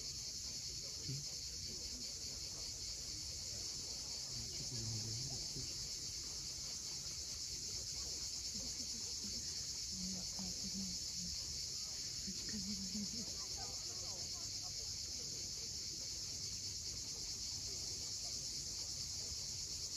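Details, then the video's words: Crimean coastal cicadas at sunset, Cape Fiolent: an unbroken high buzzing chorus holds steady throughout, with low surf rumble and a few faint short notes partway through. "Cicadas at sunset."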